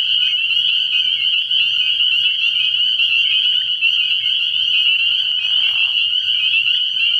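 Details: Spring peepers in full night chorus at an early-year frog pond, a ceaseless high shrill of overlapping peeps, briefly joined after five seconds by a lower, rougher burst, with a quiet low hum throughout.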